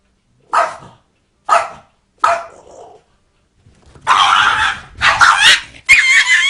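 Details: Dog that ends up scared by a cat gives three short, evenly spaced barks, followed by longer, louder harsh wailing cries toward the end.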